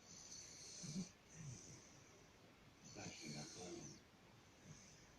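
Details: A sleeping bulldog snoring: wheezy, hissing breaths in bursts of about a second, paired with low throaty rattles, separated by short quiet gaps.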